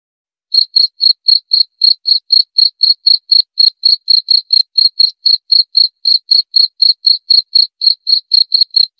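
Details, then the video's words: Steady cricket chirps begin after a brief silence, sharp high-pitched pulses at roughly four per second, evenly spaced and continuing to the end without other sounds. "Suara Jangkrik"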